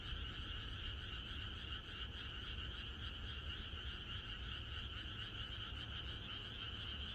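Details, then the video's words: Night chorus of many frogs in the countryside, heard the evening before rain: steady, overlapping pulsed croaks forming two unbroken tonal bands, with a soft low rumble beneath and no other clear sounds. "개구리들의합창#비가 오려나?이것이 자연의 소리 ~개구리들의 합창"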